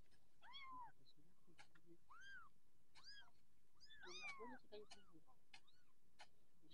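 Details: Growing orange Persian kittens crying in short, bright arched mews, a cluster of several close together near the middle, mixed with sharp clicks and taps.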